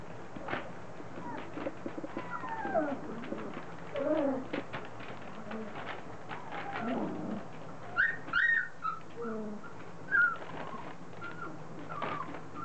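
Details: Three-week-old Standard Poodle puppies, becoming vocal as they start moving, mouthing each other and playing; scattered high squeaks and whines, several rising then falling, with brief louder yelps near eight and ten seconds amid soft rustling.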